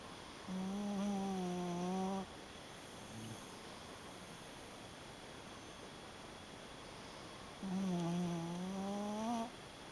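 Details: Shiba Inu snoring while asleep: two long, steady, tonal snores, each about one and a half seconds, with a low humming pitch and faint whistly overtones, separated by a quiet pause with a soft brief rustle.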